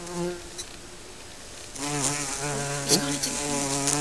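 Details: Several Western honey bees (Apis mellifera) from a colony living under a garden shed fly close by and land at the nest entrance, their wings buzzing in a low, droning hum that wavers in pitch.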